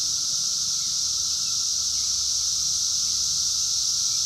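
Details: Brood X periodical cicadas, the 17-year brood emerging in 2021, calling in the wild and captured by phone: a constant shrill buzzing wall of sound over a continuous lower drone, with no pauses.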